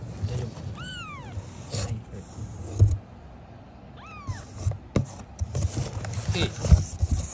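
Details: Rescued kitten in a Japanese foster home giving two arched, rising-then-falling meows a few seconds apart, over loud low rumbling handling noise and a woman's soothing voice.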